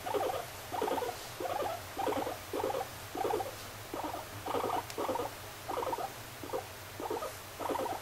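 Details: Moru-chan the pet guinea pig makes rhythmic, pulsing bursts of mid-pitched chatter. About a dozen groups follow each other steadily, a little over half a second apart. A faint low hum sits beneath them.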